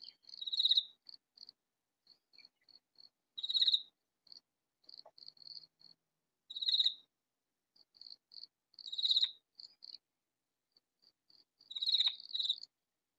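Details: Katydid calling loudly from hiding in a vegetable garden: short buzzy, rasping bursts repeated every two to three seconds, with soft high ticking notes between them. No other sounds.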